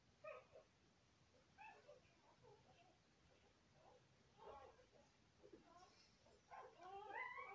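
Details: Golden Retriever mother nursing her puppies indoors; faint, high, squeaky whimpers and short harmonic squeals come in scattered bursts, with a louder run of rising squeaks near the end against a quiet room background.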